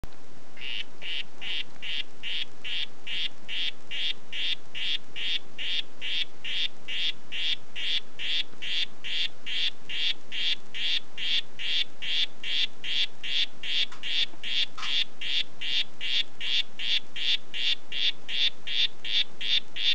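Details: Oophaga histrionica of the "Red Head" form, a poison dart frog, calling: a long, steady series of short buzzy chirps repeated about two and a half times per second throughout, with no other clear sounds.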